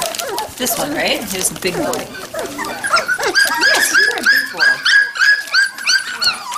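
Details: Young Standard Poodle puppies at Red Royal Standards near Columbia Falls, Montana, November 22, 2013, from litters three and five weeks old: soft talking first, then a steady run of high, bent whines pulsing several times a second.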